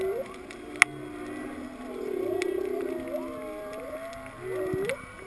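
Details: Whales heard underwater during a snorkel free dive to 19 feet over a reef at Kaanapali: low, wavering moans with sliding upsweeps over a faint crackle of reef sounds.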